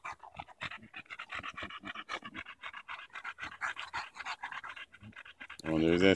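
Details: Daisy, a Bulldog playing with a branch on a walk in Erindale Park in July 2014, pants in steady fast rhythmic huffs, with a man talking over it and a loud harmonic burst near the end.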